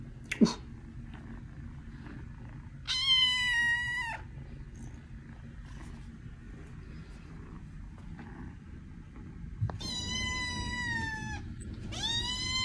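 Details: Kitten meows for attracting cats: a sharp squeak at the start, then three drawn-out harmonic meows around 3, 10 and 12 seconds, each steady and bright, separated by quiet stretches with faint noise.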